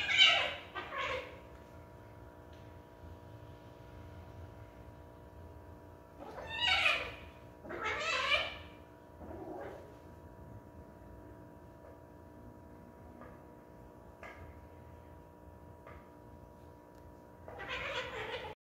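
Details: Sarina, a pet cat, in a bout of feline craziness, gives harsh, strained meows: two at the start, a loud pair near seven to eight seconds, fainter chirps between, and a final one at the end, over a steady electrical hum indoors.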